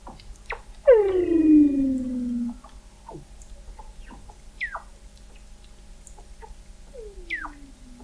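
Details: Antarctic Weddell seals under McMurdo Sound sea ice, November 2017, recorded by the McMurdo Oceanographic Observatory: a loud, harmonic-rich whistle plunging downward for about a second and a half, scattered quick falling chirps, and a softer descending whistle near the end.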